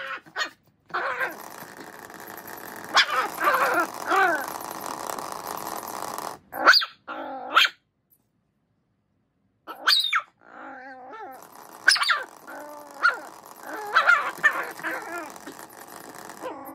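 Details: Miniature Schnauzer absorbed in play with a toy mouse: bursts of yipping barks and rough, wavering growl-whines over rustling noise, a long silent pause midway, then more clustered barks and warbling whines.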